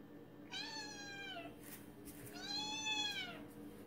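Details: Two long, steady meows of about a second each, bright and harmonic, from cats pleading for a late-night meal in a quiet room.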